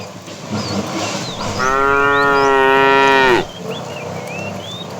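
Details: A fat cow in a tame herd being driven in the afternoon calls to a female with one long, steady, harmonic moo of nearly two seconds. Small birds chirp and whistle throughout.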